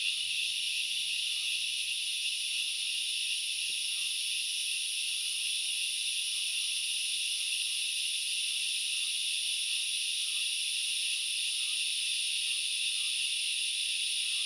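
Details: Steady shrill hiss of many grasshoppers in forest at Knuckles Reserve in the Central Highlands of Sri Lanka, a seamless layered buzz with faint regular ticking chirps beneath, continuous from start to end.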